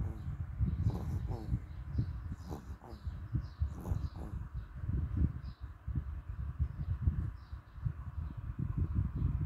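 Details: Dog's strange breathing, heard as a steady run of low rasping snorts and huffs in quick uneven rhythm, with faint high chirps scattered behind.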